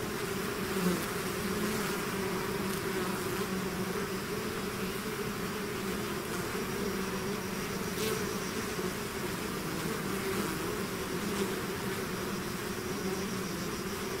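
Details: Many bees swarming from their hive produce an unbroken droning buzz with stable low hum bands, occasional faint clicks punctuating the steady wall of wing noise.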